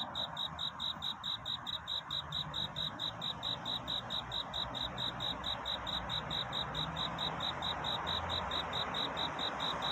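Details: Cricket calling for a mate at night, pre-dawn: sharp, high chirps in a regular train, roughly two per second, with a rising wash of steady background noise beneath.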